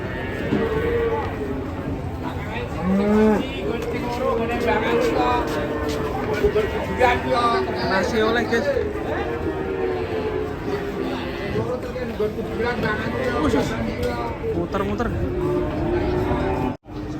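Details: Sacrificial cattle rampaging as they are unloaded from a truck give long, wavering, drawn-out moos that overlap almost continuously, against a busy background of crowd noise and shouting.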